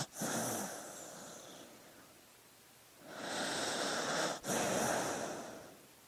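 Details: Sleeping dog breathing: a long airy breath at the start, a quiet pause, then two more soft, hissing breaths split by a brief catch. No other sounds.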